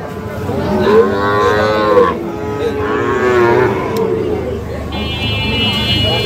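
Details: Sahiwal bull calf at Ambari cattle market, Parbatipur, Dinajpur, Bangladesh, on 11 July 2025, fattened for sale: two long, loud, tonal moos with rich harmonics, each about a second and a half, gently rising then falling, followed by a thin high whistle-like tone.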